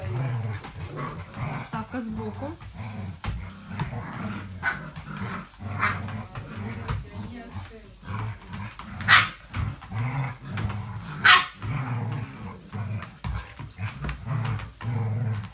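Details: English Springer Spaniel recorded 05.02.17, giving a steady low rumbling growl in pulsing bursts throughout, broken by two sharp, loud barks near the middle and end, with some voices in the background.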